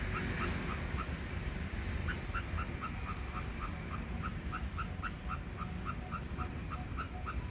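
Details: An Indochinese ground squirrel at its nest keeps up a rapid, slightly uneven series of sharp chip notes, nearly four per second, over a low continuous rumble.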